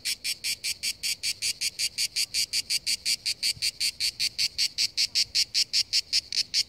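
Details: [3, 'High, rasping cicada pulses repeat evenly and quickly, each a short buzzy burst, beside the sea, with the pattern holding steady throughout and little else audible.']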